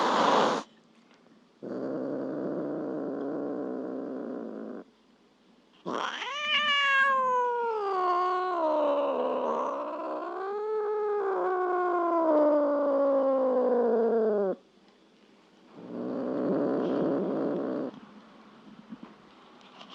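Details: Domestic cat caterwauling: a drawn-out, wavering, moaning yowl that rises and dips repeatedly for about eight seconds. Bursts of breathy, hiss-like noise come before and after it.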